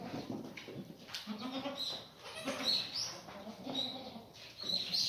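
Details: Black goats on a farm in Gimhae, South Korea, settled in a new birthing pen, recorded 28 February 2019; several low, nasal bleats spaced a second or more apart amid barn clatter and high, thin chirps.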